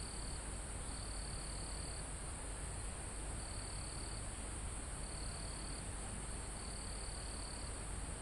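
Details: Crickets and other insects near the top of a mountain in a calm forest, recorded live. A steady high shrill drone runs throughout, with a lower trill pulsing in bursts of about a second, separated by short gaps. Constant wind hiss in the foliage.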